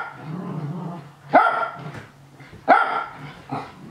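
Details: Nana, a Japanese Spitz, barks happily while watching the young dogs Ruru and Milmel play-fight at home. Two sharp, bright barks ring out about 1.3 seconds apart, preceded by low rumbling scuffle noise and a steady low hum.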